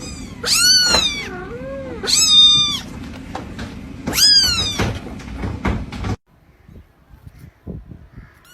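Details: Kitten meows, three loud high-pitched arched cries roughly every two seconds, each rising then falling, followed by quieter scattered clicks and faint sounds near the end.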